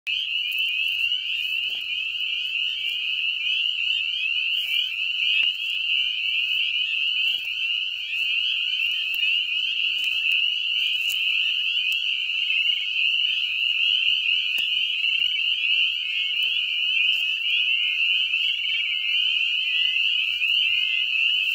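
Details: A dense breeding chorus of spring peepers (Pseudacris crucifer) in a septic lagoon, countless high, clear peeps overlapping into a shrill, unbroken ringing that is deafening up close.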